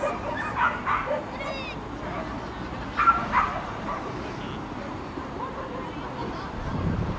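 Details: Pembroke Welsh Corgi Eddie, a bit nervous at his first outdoor agility show, East of England showground, Shire Horse Show, March 21st 2010, cheered on by the public; a few short high yips come in two bursts over steady crowd murmur and speech.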